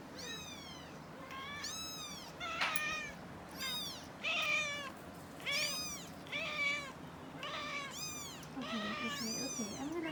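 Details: Four-week-old kittens, learning to walk with their mother nearby, cry in a steady run of shrill, arched mews. The calls come about one per second, ten in all, with soft shuffling noise beneath.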